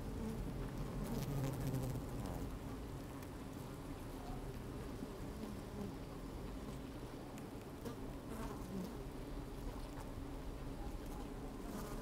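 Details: Busy honey bees at an opened hive on a sunny, slightly windy day, recorded from inside the hive: dense low humming drone with constant fine crackling and pattering of bees moving, occasional sharp ticks.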